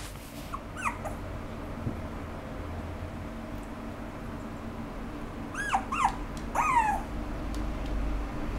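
A small poodle-Pomeranian mix gives high, whining whimpers that rise and fall, in short bursts.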